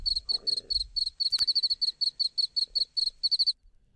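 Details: Male field cricket calling song, which has a chirp and a trailer and may win a female's acceptance for mating. High, pure pulses in short rapid runs for about three and a half seconds, with faint low thumps beneath.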